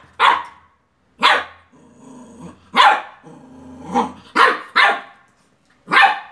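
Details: Beagle puppy barking at a toy car: sharp, high barks at irregular intervals, about six over six seconds, with brief softer whining and growly sounds between them.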